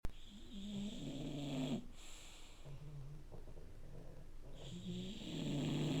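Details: Two dogs, one a puppy under three months old, snoring together indoors: low, rough droning breaths in uneven bursts with short quiet gaps between them, plus a faint steady hiss in the background.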